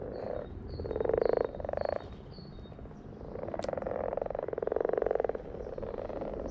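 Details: A group of frogs giving rapid, buzzy pulsed croaks in repeated bursts of about one second, separated by short quieter gaps, with brief thin high-pitched chirps in the background.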